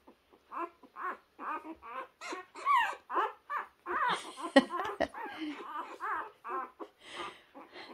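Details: Puppy searching for its path, letting out a string of short, nasal whimpers and squeaky yips roughly twice a second, with one sharp click in the middle.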